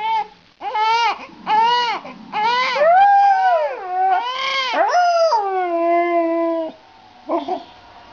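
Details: A dog sings while a baby cries. Short bursts of crying give way to a long, drawn-out howl that slides downward and holds steady before stopping, followed by a brief final cry.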